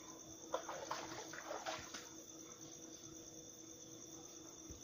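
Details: Spot-legged treefrog calling on 2 April 2018: a quick cluster of dry, knocking clicks during the first two seconds, then quiet, set against a steady high insect drone and a faint low hum.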